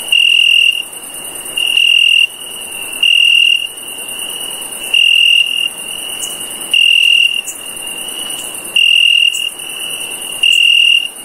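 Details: A cricket at night gives high, ringing chirps about every two seconds over a faint, steady background trill.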